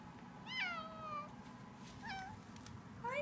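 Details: Pet cat meowing indoors: a long wavering meow sliding down in pitch, a shorter meow about a second later, then the start of a third rising meow at the end.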